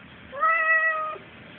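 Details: Talking cat that wants to go out gives one steady, level meow lasting under a second, clear and tonal, while a person questions it in a quiet room.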